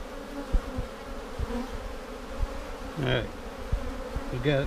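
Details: Honey bee colony humming steadily during a beekeeper's hive inspection on March 10, 2019, seven days after a vertical split with a double screen divider board, while checking for queen cells; low continuous drone with scattered knocks and a brief human voice.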